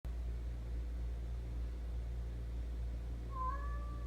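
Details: Domestic cat that keeps making noises to get attention, giving one drawn-out, rising then falling meow near the end, over a steady low indoor hum.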